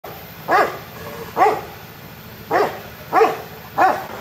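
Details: A young Himalayan tahr, recorded 9 July 2019, gives short, nasal bleats that arch up and down, repeated at uneven intervals.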